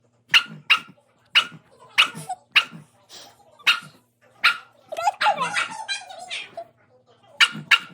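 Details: Dog barking at its own reflection indoors: sharp, high, clipped barks, singly and in quick pairs, about eight over several seconds, with a short jumble of voice-like yaps and whines midway.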